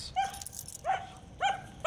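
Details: Female German Shepherd with aggression issues, extremely reactive to other dogs, squirrels, cats, birds and vehicles, prone to lunging and pulling; three high, tonal whining yelps with strong overtones, each dipping slightly, about half a second apart, over a quiet background.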